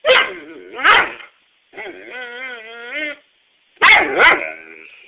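A Weimaraner gives two sharp barks, a long wavering moan, then two more barks.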